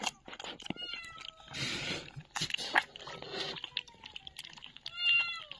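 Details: High, thin squeaks from a litter of tiny puppies dumped in a box at a door on a cold winter night, now being fed; repeated short piping cries, some gently falling, over soft rustling and shuffling noise.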